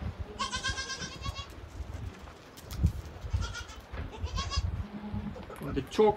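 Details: Boer goats in straw-bedded kidding pens on a stud farm, where does are housed with their kids. A long, quavering bleat is followed by two shorter ones, with a person talking and farmyard shuffling underneath.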